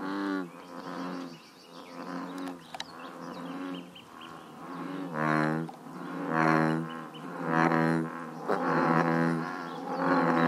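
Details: Deep, resonant bullfrog croaks from a Northern California pond come in steady, drawn-out booming calls nearly once a second, several animals overlapping, with light bird chirps behind.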